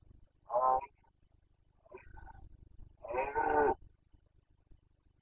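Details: Carpathian red deer stag in the 2021 breeding season in Bucovina, giving its boncănit rutting call: one strong, hoarse roar, a faint brief call, then a longer, louder roar over a low background rumble.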